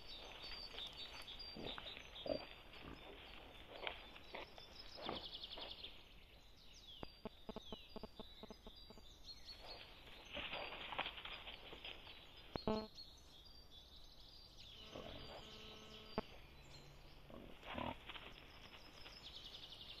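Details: A wild boar sow with striped piglets grunts in rough, low bursts, with a few higher squeals mixed in, as the piglets react to a threat.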